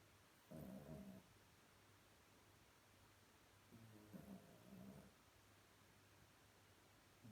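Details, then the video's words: Small Chihuahua asleep and dreaming deeply, snoring softly; two quiet, low, rasping snore bursts about three seconds apart, each lasting under a second, over a faint steady background hum. "Kleiner Chihuahua träumt ganz fest und schnarcht leise"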